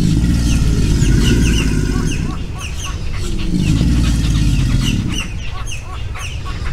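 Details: An alligator in a swamp displays with deep, rumbling growls in two long vibrating bouts of a couple of seconds each; faint bird chirps behind, 21 April 2021. Alligator.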